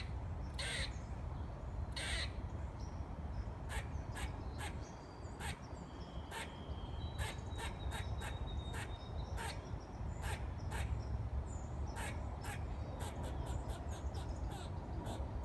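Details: Squirrel 'singing' as a long run of sharp chattering clicks, a few strong barks early, then speeding into rapid, closely spaced pulses toward the end, with a soft high whistle midway and steady low rumble throughout.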